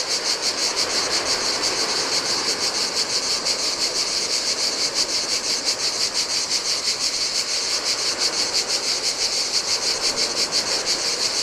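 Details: Cicadas singing in the heat on a desolate Greek island beach by the Adriatic sea: a dense, buzzing high chorus pulsing about three times a second, steady throughout, over the soft wash of waves on sand.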